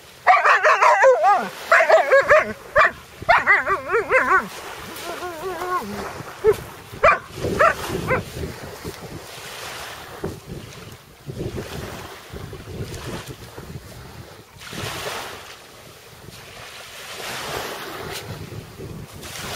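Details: Alaskan Malamute that has found a sea robin, giving a quick run of wavering, high whining yips and whimpers over the first four seconds, then quieter scattered noises and a steady background rush.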